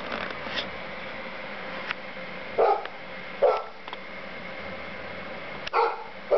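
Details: A Golden Retriever barking at falling snow in January gives short, gruff barks at uneven intervals over a steady background hiss.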